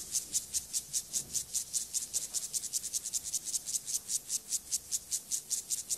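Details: A male Siberian grasshopper performs its courtship song to a female. It also rotates its antennae and strikes her with its clubbed front legs before mating. The song is a high, dry rasping pulse repeated steadily, about five per second.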